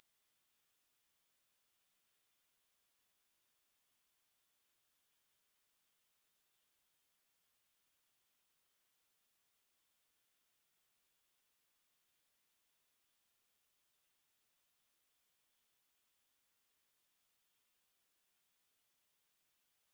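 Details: Grasshopper chorus, steady and high-pitched: a shrill continuous trill pulsing about four times per second, broken twice by brief near-silent gaps before resuming at the same level; no music or other sounds.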